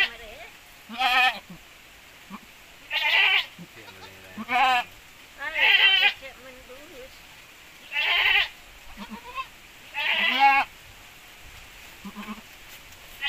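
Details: Javanese goat crossed with Boer goats, a cross said to yield bigger offspring; several short, quavering bleats at irregular intervals, mixed with people talking and laughing in the background.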